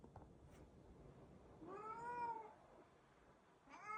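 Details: Indoor Siamese cat giving a clear, drawn-out meow that rises slightly then falls, lasting under a second, followed by quiet and the start of another meow at the end; a soft murmur of household sound beneath.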